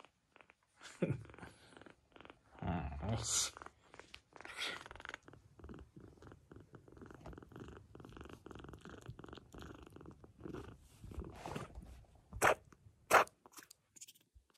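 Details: Rescued silver tabby kitten from Tokyo, weak and refusing food, purring in a steady low buzz through the middle of the recording, with rustling, handling knocks and some human voice at the start and end.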